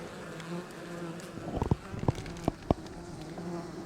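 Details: Western honey bees in an Apimaye hive during an oxalic acid vapour varroa treatment ratchet up their buzzing, a low even drone inside the hive with a few sharp knocks.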